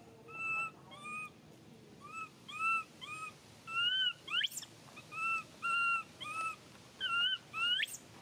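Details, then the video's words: Baby monkey Mila cries while her mother Malika weans her from milk; clear whistled, slightly arched cries with bright overtones repeat roughly every half second to one second, a few rising sharply at the end, over quiet background. "How Long Of This Monkey Stop Crying!, Mila Still Rely On Milk When Malika Weans"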